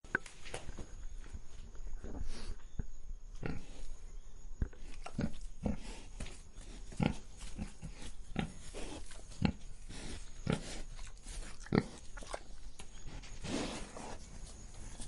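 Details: Pig breathing: a series of short, rough, snuffling breaths and snorts repeating irregularly about once or twice a second, with low grunting undertones, heard close in a quiet setting.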